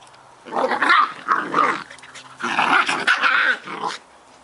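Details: Scottish Terrier puppies playing together, two pups: rough rolling growls in two long bursts with short barky peaks, a brief pause between them.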